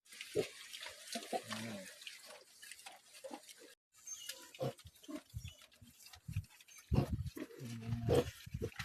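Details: Domestic pigs on a Philippine hog farm, let out to wander outside their pen in good weather; short low grunts and snorts in scattered bursts, with rustling and background noise between calls.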